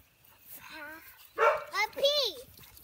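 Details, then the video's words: Young American Bully puppies whimper with a soft level whine, then give sharper arching yelps that rise and fall in quick succession. People talk nearby. "American bully puppies"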